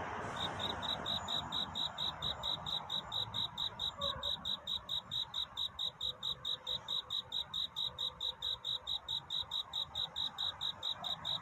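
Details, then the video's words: A cricket's love song on a night toward dawn: crisp, high, pulsing chirps repeated steadily slightly faster than twice per second, with a faint murmuring background hiss. "귀뚜라미 울음소리. 슬퍼 말아요 우는 것이 아니라 사랑을 찾는 노래랍니다 구애의 밤"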